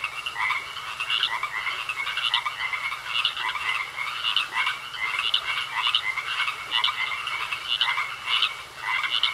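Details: Frogs calling together in a pond: rapid, rattling pulse trains from many individuals overlap in a thick chorus, with distinct bursts standing out roughly every half second.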